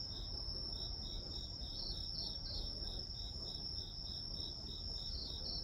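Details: Insects of the grass chirping as ambient white noise, one unbroken shrill trill layered with rapid, even pulses of a slightly lower chirp, plus a noticeable low rumbling background.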